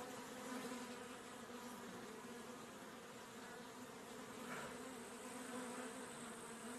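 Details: A honey bee filmed close up while drinking honey gives a continuous, low droning buzz from its wings, rich and layered, its pitch steady with slight swells in loudness.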